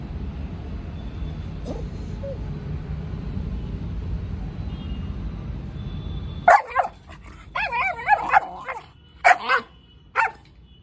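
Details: Rottweiler during a leash-training session for aggressive behaviour: steady low rumble for six seconds, then sudden sharp barks and wavering, whining yowls in bursts over the last four seconds.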